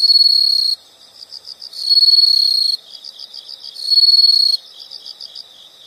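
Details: Insects calling: loud shrill trills of under a second alternate with quieter rhythmic pulsed chirps, the loud bursts returning about every two seconds.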